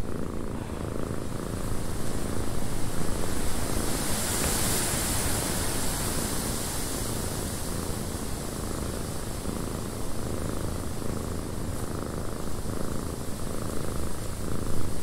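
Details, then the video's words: Cat purring in a windy cabin, a low rapid rumbling purr that holds steady throughout, partly blended with broad wind-like rushing noise. "Cat Purring in a Windy Cabin 8 Hours of Blissful Purring"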